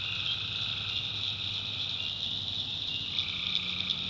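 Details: Swamp tree frogs calling after dark in North Carolina: an unbroken high-pitched chorus, with a longer lower trill drifting through it and a steady faint low drone underneath.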